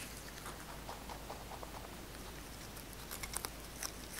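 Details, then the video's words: Pet rabbit Kkotdori nibbling fresh basil indoors. Soft, quick nibbling clicks grow into a few sharper crunches near the end. "토끼 먹방 ASMR 🎧 꽃돌이의 뽀드득~ 뽀드득~ 신선한 바질먹방!"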